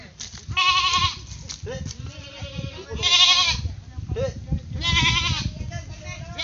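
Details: Playful pet goat letting out three tremulous, nasal bleats about two seconds apart, each lasting around half a second, while people talk and laugh in between.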